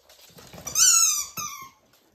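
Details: Pembroke Welsh Corgi puppies, born 31 January 2023, playing indoors in March 2023; one puppy lets out a loud, high, squealing yelp lasting about half a second, followed by a shorter, sharp second squeak before falling quiet.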